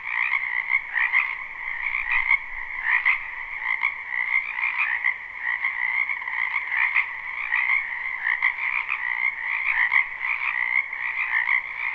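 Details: Live spring recording of a wetland frog chorus: continuous overlapping high-pitched trills with rhythmic pulsing bursts roughly every second, a lower harmonic band beneath, no other clear sounds.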